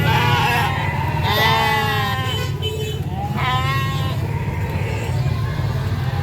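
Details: Sheep bleating at a market: shaky, quavering bleats around 1.5 and 3.5 seconds over a steady low engine rumble, with some voices in the background.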